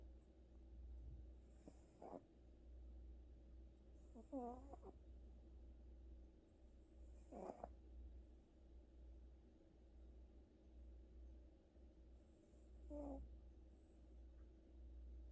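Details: Domestic cat named Gucci, worn out after a trip to the vet, snoring in sleep: a few soft nasal snores with a brief voiced, wavering edge, spaced several seconds apart over a steady low background hum.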